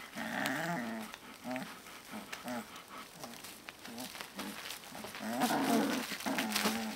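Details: Young Alaskan Malamute puppies, aged 18 to 25 days, make short, repeated growly yelps and whines, several per second in uneven bursts, over soft rustling and small knocks.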